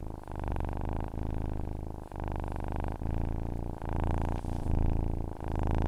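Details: Close, continuous purr of a cat: a low, throbbing rumble that dips briefly about once a second at each breath change, with the rhythm running evenly throughout.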